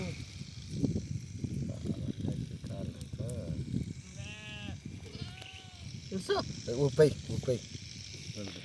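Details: Blinded sheep being treated for an eye condition gives two short, wavering bleats midway, heard under steady human speech and soft background music.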